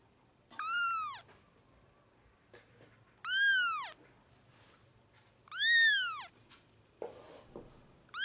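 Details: Five four-week-old kittens crowding indoors at lunchtime bottle feeding and spoon feeding, a newborn litter fighting for milk; loud, high, arching meows, each rising then falling, repeated about every two to three seconds, with faint rustling between cries.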